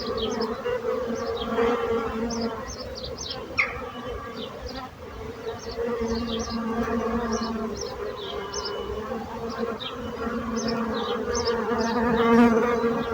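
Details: Continuous low drone of buzzing bees, fairly even in loudness, with faint short high chirps scattered in the background.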